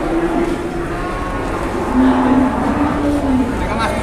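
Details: Giant cow brought to Jelok market in Boyolali, Indonesia, drawing a crowd; a low, drawn-out steady moo rises above loud, constant market crowd chatter and background noise.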